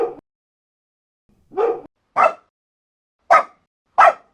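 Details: One of many dogs, big and small, in a barking compilation, giving a quick run of short sharp barks, the last three evenly spaced less than a second apart.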